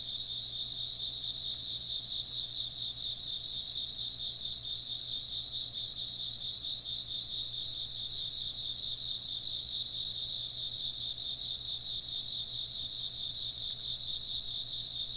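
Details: Steady insect chirping throughout, many overlapping high trills forming a pulsing, shimmering drone with no gaps, over a faint low hum.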